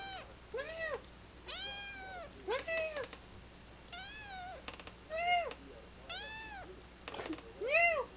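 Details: Young kitten, three months old, talking in a rapid series of about ten arched meows over eight seconds, some brief and chirpy, others drawn out and bending down at the end.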